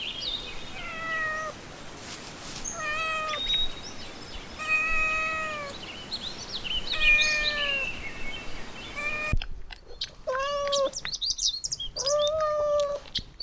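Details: Puppies playing in a garden give a run of high, tonal whines, each a short call sliding gently downward, repeated about once a second with brief gaps, over a steady outdoor background hiss.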